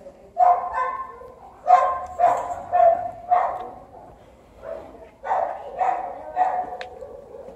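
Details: Cats on heat, with Garfild waiting for his turn; short, harmonic, meow-like calls come in quick bursts, about nine in under eight seconds, some paired and others spaced about half a second to a second apart, with a brief lull midway.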